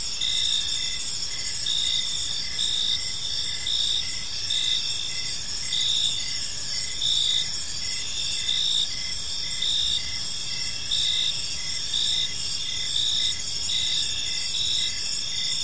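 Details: Evening chorus of crickets in a peaceful park, high ringing chirps repeated in short even bursts about once a second over a constant shimmering trill, with a quiet low hum.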